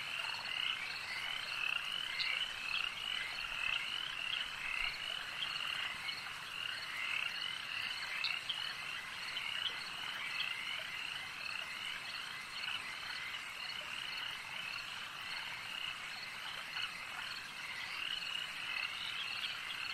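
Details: Many frogs croak together at a lake, forming a continuous, buzzing, high trill chorus that barely varies, with scattered quick chirps in the first half.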